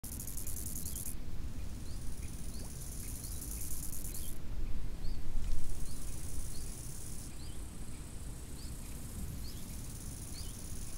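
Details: Crickets chirping by a lake in summer: a high, shrill, steady trilling that switches on and off in long stretches every few seconds, with short high bird chirps scattered through and a strong low rush of wind.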